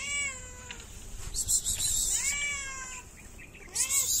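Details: Hungry, shy cat in a Moroccan city, distrustful of people, begging for food with repeated arching meows, sliding up then down, interleaved with sharp crackling and rustling noises.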